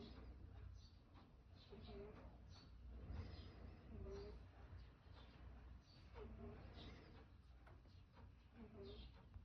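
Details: Domestic cat breathing with difficulty, an unusual sound audible: short, quiet whistling notes recur about every two seconds, each with a softer lower tone beside it, against constant low background hum.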